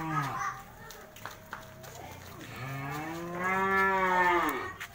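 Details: Cattle at a market where ten head are offered for sale. A short low moo opens, then a long, drawn-out moo rises and falls toward the end. A man speaks in Indonesian in the background.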